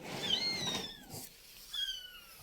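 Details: Domestic cat in a storeroom, a mother that has carried her kittens upstairs, as the kittens start coming out; two thin, high-pitched mews glide downward, with a quieter, rougher stretch between them.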